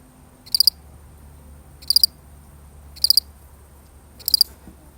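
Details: A single lonely cricket in a real recording gives four short, high chirps, each a quick triple pulse, spaced a little over a second apart against a quiet background.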